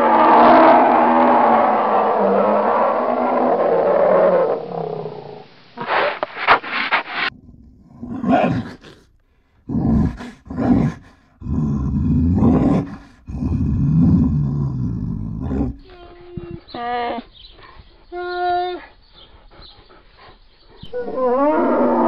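Hoarse, throaty roars and low growls come from a polar bear in irregular bursts, some short and some drawn out. A speaking voice opens the recording, and more speech follows the growling near the end.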